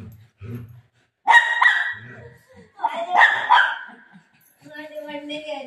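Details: Golden Retriever playing with its mom after running off with her dupatta, giving two short bursts of harmonic barking around a woman's talk, with quiet gaps between.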